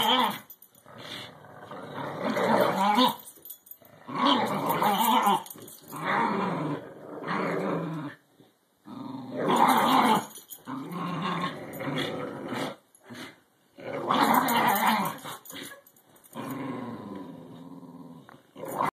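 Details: English Bulldog and Cairn Terrier at tug-of-war over a rubber ball filled with smaller balls, growling in rough bursts several seconds long separated by brief pauses, rising and falling in intensity indoors.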